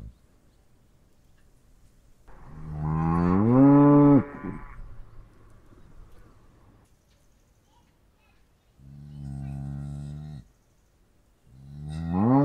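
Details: A cow lows three times: a long, swelling moo lasting over two seconds, then two shorter, lower moos spaced several seconds apart, with quiet between them.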